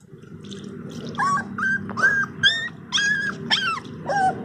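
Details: Labrador Retriever puppy whimpering at its first bath: a series of high, thin, bending whines and yelps, several short cries rising then falling, repeated irregularly over a low background hum.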